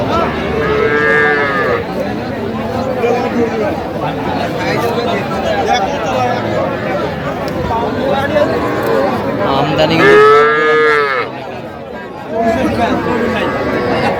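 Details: Cattle at a market in Kushtia, Bangladesh, where farmers buy small bulls and heifer calves, Sahiwal bull calves noted; two drawn-out harmonic moos, one near the start and a louder rising one near ten seconds, over steady crowd chatter and voices.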